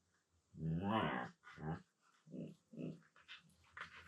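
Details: Siberian Husky talking with a low-pitched voice during play with another husky indoors; one long rising-falling harmonic moan, then three shorter grumbling syllables, a person's brief utterance after.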